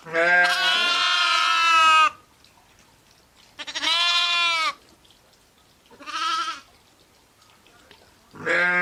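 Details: Sheep, ewes and lambs, bleating: four loud, wavering harmonic bleats of one to two seconds each, separated by quiet gaps, some voices higher-pitched than others.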